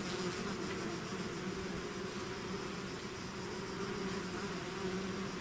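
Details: Swarm of bees out of its hive, a dense steady drone with low hum bands layered beneath a constant hiss, no break or pause across the stretch.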